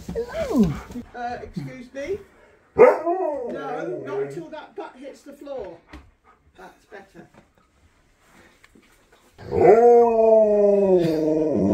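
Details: Siberian Husky at Christmas, calling on its best friend. Early on, people talk over warbling, grumbling dog vocalisations. After a quieter gap, a long steady howl rings out and fills the last few seconds.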